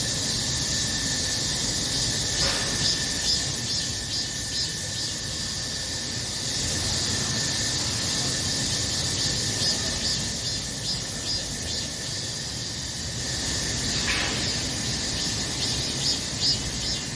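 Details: Cicadas in summer: a dense, unbroken, hissing buzz with a shrill, pulsing high edge and a faint steady whine, loud throughout and nearly constant in strength.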